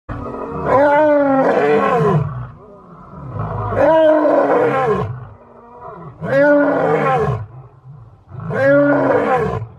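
An African lion gives loud, deep roars, each a rich, drawn-out bellow repeated about every two to three seconds.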